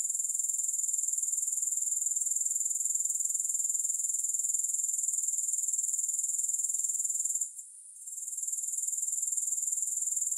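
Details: Shrill, even insect buzz from grasshoppers, with no music. It ticks along about four pulses per second, with one short silence late on before the chorus resumes.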